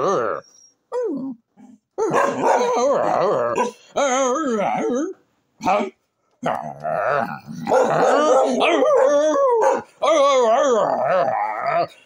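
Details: Pet dog that wants a cow's skull, "talking" in long wavering moans, grumbles and yodel-like whines with sliding pitch, in bursts separated by short pauses, while a person talks back to it.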